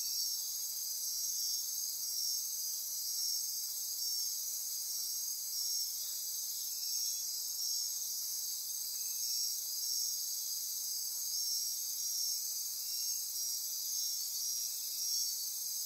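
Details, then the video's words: Dense midnight insect chorus in lush Costa Rican forest near Corcovado National Park on the Osa Peninsula: many overlapping high trills and buzzes forming a continuous shimmering wall, softly pulsing, sustained without break. "Costa Rica Rainforest - Midnight Insect Chorus"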